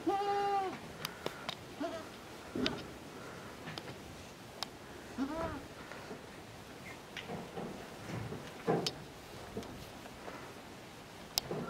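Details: Miniature goat kids, the farm's first of 2019, give a high wavering bleat at the start and a shorter arched bleat near the middle, with clattering knocks, rustling and sharp clicks throughout.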